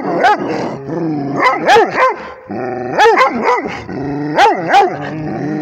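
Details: Barking at a tablet, a Rhodesian Ridgeback mixes steady growling with loud rising-and-falling barks in pairs and small groups, the growl running almost continuously underneath.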